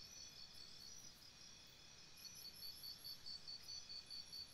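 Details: Chirping crickets near a campsite after dark: shrill rapid pulses, then clearer rhythmic bursts in the second half, over a constant high insect drone.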